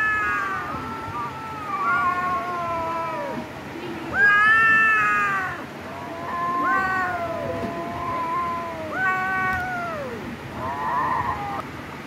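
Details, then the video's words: Domestic cats fighting trade overlapping yowls, long wavering howls that arch and drop in pitch, coming roughly every two to three seconds with a rougher growling note near the end. "cat video #CAT #meow Mini fighting video"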